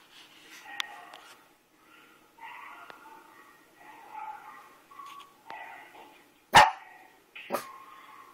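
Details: Pet dog reacting to a recording of herself as a puppy, giving soft whining and whimpering calls in a string of short bursts, with a sharp bark or thump near the end.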